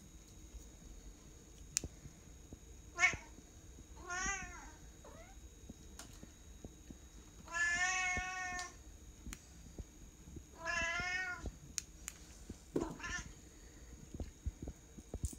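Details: A Bengal cat playing on a floor-to-ceiling scratching tree gives several drawn-out, wavering meows, a few seconds apart.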